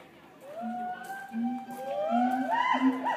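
Gibbons give sweeping, rising whoops that overlap and climb higher toward the end.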